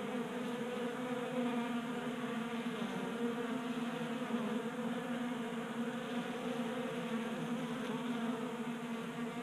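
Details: Swarm of honey bees at a tabletop 3D-printed feeder in a garage in Colorado, January at 60 degrees; an even, unbroken chorus of buzzing wings with stacked humming tones.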